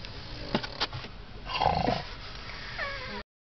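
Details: Pregnant pug named Princess Cootchie napping on a lap, giving a rough, rhythmic snoring breath with a louder drawn-out snort in the middle, a couple of sharp taps early on, and a thin whining tone near the end.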